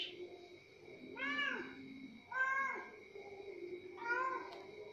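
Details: Orange cat being fed at sahur, the pre-dawn meal, giving three clear rising-falling meows about every one and a half seconds over a constant background hum.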